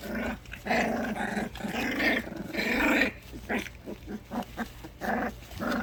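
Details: The orphaned four-week-old puppies Loki and Lola, rescue pups hand-raised from one week old, growl almost without pause during playtime. A steady, gravelly growl rises and falls, then breaks into choppier snarls and grumbles.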